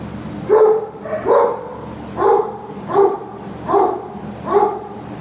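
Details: American Pit Bull Terrier, a female dog available for adoption from a shelter, listed 29 May 2015, giving six evenly spaced, mid-pitched barks roughly every three-quarters of a second, with a faint background hum.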